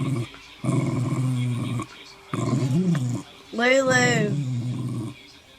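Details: Dog growling as a warning while being groomed, deep rumbling growls in two bursts, then a higher, rising and falling whining cry near the end.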